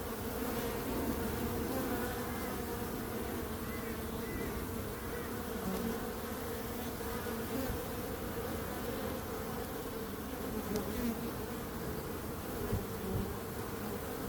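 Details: Bees buzzing in a dense, steady drone with layered hum bands and no breaks, the swarm's buzz holding an even level throughout.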